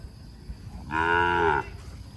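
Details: A cow or bull in Cambodia, recorded around a successful breeding dated 6 November 2023, lets out one short, even, harmonic-rich moo over a faint steady hum.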